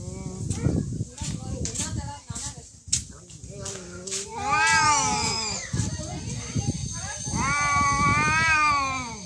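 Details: Two cats in a real fight: choppy background sounds give way to sustained, rising and falling yowls, one deep and one shriller, drawn out over several seconds.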